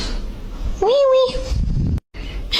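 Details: Kitten meowing indoors: one short tonal meow that rises quickly and then holds steady for about half a second, over a background of low noise, with people speaking just before and after.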